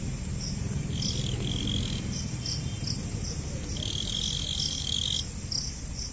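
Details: Jhingur, or cricket, producing a run of bright, high, pulsed chirps alongside a sustained thin whine, over constant low-pitched rumble.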